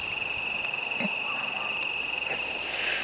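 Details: Crickets give a steady, high continuous trill with faint katydid chirps mixed in, at night under the moon in November 2012.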